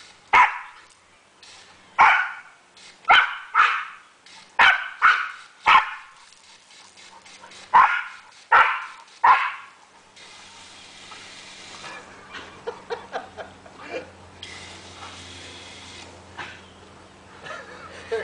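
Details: Border collie Sam, a family dog in Kellyville, Australia, barks excitedly while playing with a hose. About a dozen sharp barks burst out in quick succession for ten seconds, then give way to spraying water and hum.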